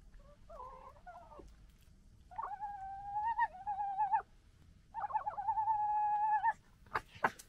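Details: Members of a local fox family gekkering while fighting and disagreeing: three nasal, stuttering, warbling cries, each one to two seconds long, the later two longer and pulsed, then a few sharp clicks at the end.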